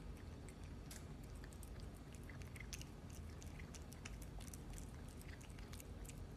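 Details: A cat eats its food in a small room. Continuous crisp mastication clicks come several per second, interspersed with wetter biting sounds, all above a constant low background hum.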